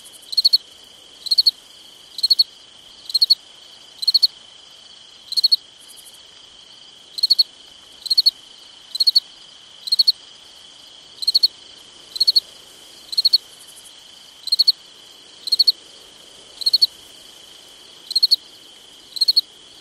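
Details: At night in summer, a cricket chirps in regular pulsed bursts near once per second, pausing briefly now and then, while a continuous high-pitched insect drone runs underneath.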